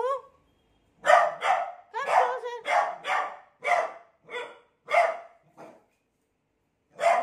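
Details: A beagle, frightened by a new cot, lets out a steady series of sharp barks roughly every half second, broken by a brief pause near the end.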